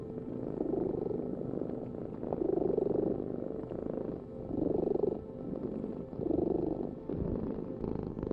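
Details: Domestic cat purring steadily, a low rumbling vibration that swells and fades in breath cycles roughly every two seconds, with a quiet indoor background.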